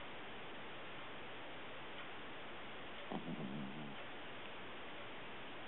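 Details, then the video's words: Sleeping puppy snoring: one soft, squeaky, whine-like snore lasting under a second, with a wavering tone, set against steady background hiss. "Cute Puppy Snoring!"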